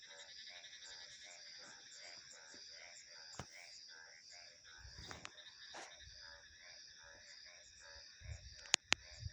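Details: Rapid series of pulsed frog croaks at mid pitch against a high, unbroken insect drone, with a low gust of wind and a few sharp clicks near the end.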